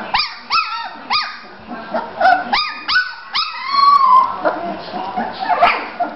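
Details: Three-week-old Bulldog puppies in Florida, playing and moving around: a run of high, sharply rising yelps and squeals, about six in quick succession, then a longer whining cry, with light background chatter.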